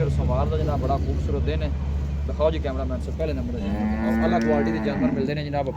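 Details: Friesian-Cholistani cross cow offered for sale in Pakistan, recorded 05/02/2024: a steady low drawn-out moo of over a second near the end, heard beneath a man talking continuously.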